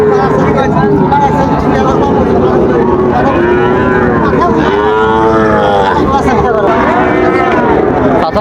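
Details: Sahiwal bull calves at Raniganj market in Dinajpur on 15 August 2024. Drawn-out harmonic moos rise and fall in the middle of the clip over constant crowd chatter and traders' voices.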